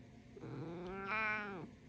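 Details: A male black domestic cat gives a drawn-out, throaty, sassy "mrrr" that swells brighter in the middle and drops away.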